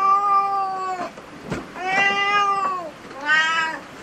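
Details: Domestic cat in a cat cafe giving three drawn-out, harmonic-rich meows, the first about a second long, the second longer and slightly falling at the end, the third short and bright, with a soft click between calls.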